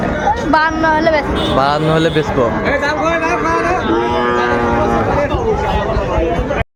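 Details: Sahiwal bull calves at the Ambari cattle market in Dinajpur on 27 May 2024: drawn-out, wavering lowing calls overlapping one another amid a busy backdrop of crowd chatter and human voices.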